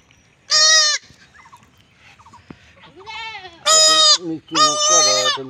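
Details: Young village goat in Bangladesh being castrated; loud, harsh, rich bleats of about half a second to a second, three main cries with a softer wavering bleat between, plus faint voices.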